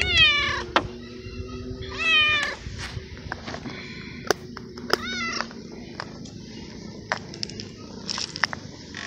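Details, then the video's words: Young male abandoned kitten living in a garden, calling after eating; two harmonic meows near the start, then a fainter one, followed by scattered clicks over a steady hiss. "Cute Stray Cat Emits Purr Sound And Meows Very Loud"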